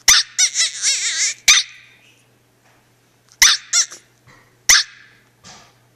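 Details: A female dog vocalizes as her owner walks away: a drawn-out, wavering, high whine-like cry with quick pitch wobbles, then sharp barks spaced a second or more apart, with a faint low hum behind.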